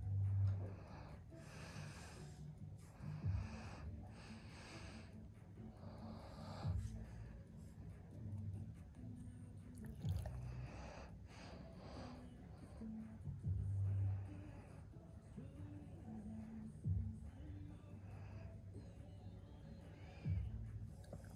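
A Vizsla at rest gives low, rumbling snorts and snoring breaths, roughly every few seconds.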